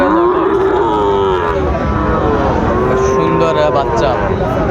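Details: Sahiwal bull calves for sale at the start of the Ambari cattle market in Dinajpur on 21 March 2025; a long, low, drawn-out moo with steady harmonics, over men bargaining loudly and general market bustle.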